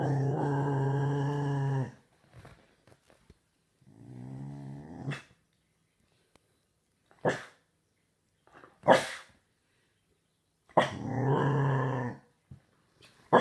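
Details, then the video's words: Staffordshire Bull Terrier puppy, six months old, giving three long, low, harmonic-rich growls, separated by quiet gaps with brief knocks and rustles; the first and last growls are the loudest. "Dog Growling Really Loud"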